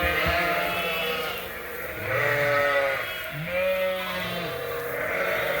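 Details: Inside a barn at Ewetopia Farms, mixed groups of Suffolk lambs, having escaped through an open gate and racing around, give a few long, wavering bleats, some deeper and some higher, overlapping.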